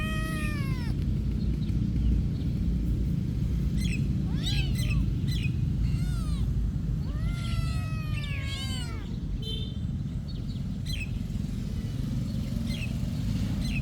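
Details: Meowing cats at a monastery: a run of clear arched meows, some drawn out and wavering, clustered between four and nine seconds, then fainter chirpy calls, all over a constant low droning hum.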